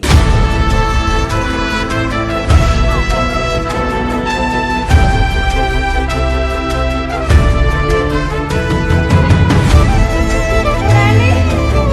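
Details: Upbeat theme music with a steady rhythm plays loudly from start to finish, with no animal sounds.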